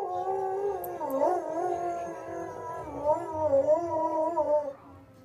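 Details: Soft Coated Wheaten Terrier howling at the fire whistle, as it always does: a sustained wavering howl with a rich layered tone that wobbles in pitch, dips and rises for about five seconds, then stops.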